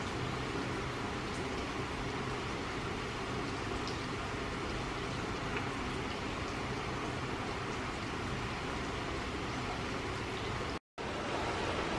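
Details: Continuous broadband traffic noise with faint distant voices and one brief dropout near the end.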